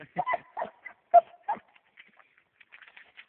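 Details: One-year-old male Black and Tan Coonhound at a tree where quarry is treed, giving four short, harsh barks within about a second and a half, one louder and more ringing, then fainter scattered sounds.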